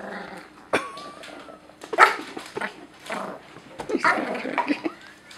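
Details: Indoor pet Pomeranian guarding its couch against an approaching Great Dane. Snarling growls and short harsh barks recur in uneven bursts, with a brief whine-like tone near the start.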